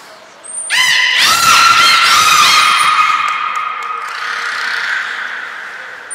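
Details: Captive belugas Hodoi, Taanya and Mirai at Port of Nagoya Public Aquarium, 23 February 2021, during pool transfer and training: a loud, sustained squealing whistle with rich stacked overtones, wavering and bending, fading slowly over several seconds.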